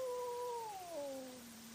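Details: Cat at night during a fight, caught on a trail camera: a single short, steady wail that slides downward in pitch and fades, over a constant background hiss.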